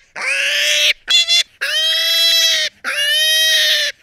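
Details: Three sustained piercing pig squeals, each around a second long, with a brief choppy squeak between the first two; the tone stays level and strained throughout.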